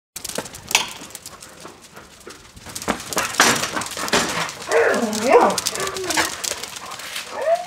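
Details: Dog in a kennel giving high, wavering whines and short yelping cries, clustered in the second half, over scraping, rustling and knocking noises with a brief human voice.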